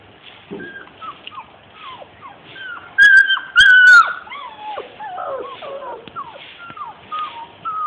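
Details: Labrador retriever puppies aged 42 days whining in a string of short falling squeals, about two a second, broken by a couple of loud sharp clicks and a louder high whine near the middle.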